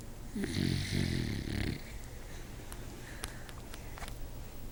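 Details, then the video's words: A sleeping pet dog snoring very loudly, two rough, low, rattling snore bursts filling the first two seconds, followed by quieter room noise with a few faint clicks over a steady low hum. "the snoring dog"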